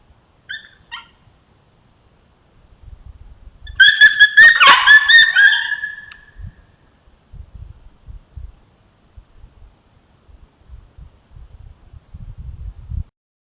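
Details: Wild coyotes filmed on a trail camera in an area with multiple packs, watching for intruders on their territory; a brief yip, then a loud two-second burst of overlapping harmonic howls and yips, followed by scattered low thumps and rustling.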